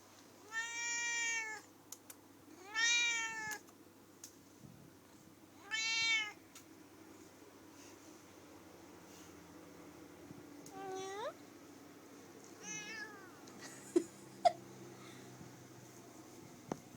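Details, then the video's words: Female pet cat that loves to talk and sing along, meowing indoors: three loud, arched, drawn-out meows spaced about two to three seconds apart, then a sharply rising call and a few shorter, fainter mews over a quiet room. "Talking and yawning cat"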